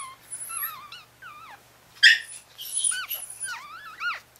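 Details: Four-day-old Chihuahua puppies from a litter of four boys and one girl, with their mother Bess, in Fredericksburg, Virginia: thin, wavering high squeals that rise and fall, several overlapping, with one louder sharp cry in the middle.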